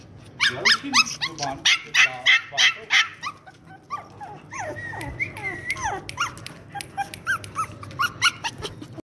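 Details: Five-month-old tri-color Shih Tzu puppy, excited to play, letting out a rapid run of yipping barks, then whining, whimpering sounds mixed with excited yips, while a person talks in Hindi nearby.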